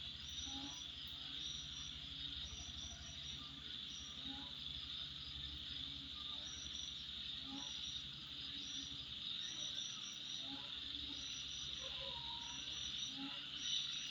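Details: Insects at midnight keep up a continuous high shrill buzz, punctuated by quick clustered chirps and occasional lower pulsed notes, with a faint low rumble throughout.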